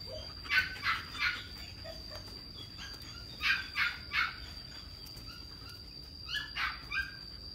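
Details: Young male German Shepherd giving three groups of three sharp barks separated by short pauses, with a constant high-pitched hum in the background.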